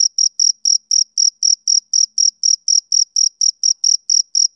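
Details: Chirps of a male cricket on a summer evening, about eighteen bright, high pulses in under five seconds at a brisk, even pace of roughly four per second, alone against silence.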